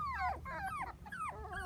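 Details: Four-week-old Dachshund puppies, seven in the litter, playing with children on a trampoline; a run of high, thin whines that slide downward, five or six in quick succession, over a low background rumble.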